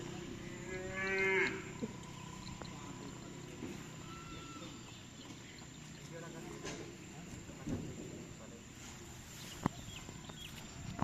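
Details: Cattle at karapan sapi racing training on a field in Bangkalan, as a newly arrived team prepares: one clear harmonic moo of about half a second early on, then scattered clicks, knocks and outdoor noise.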